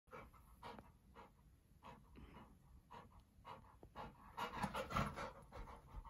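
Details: Golden Retriever, male, chasing his tail at home: quick, irregular breathy panting bursts, about 160 per minute, with louder rough puffs near the end and a woman's playful voice.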